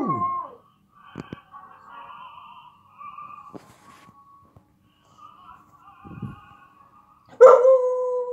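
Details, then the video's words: A female Samoyed gives long, wavering howls in response to a video of herself howling, ending in a louder, full-throated howl. "Samoyed dog howling to a video of herself howling like Zootopia"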